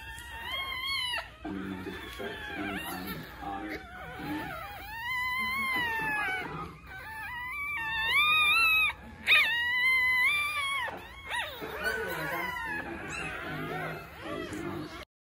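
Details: A newborn English Bulldog litter only hours old, three females and four males, whine and squeal in high, wavering, overlapping cries.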